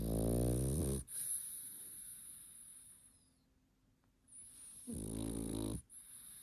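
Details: A pug asleep, snoring: deep, rasping harmonic snores about a second long, the first at the start and the next near five seconds, with a quieter breathy stretch between and a faint high whine.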